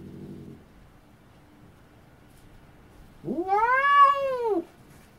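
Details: A cat lets out a single arched meow, rising then falling over about a second and a half, after a brief faint low murmur and a stretch of near silence.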